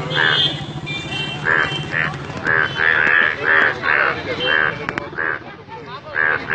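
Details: Yellow frogs recorded at Alipurduar giving loud, repeated nasal croaks, roughly two to three a second and overlapping, while a low rumble fades out early.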